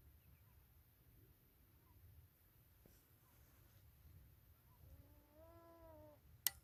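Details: Several wild beavers swimming about and communicating, seemingly untroubled by a nearby observer: after a stretch of quiet low rumble, a single short nasal whine with layered overtones rises late, followed by a sharp click.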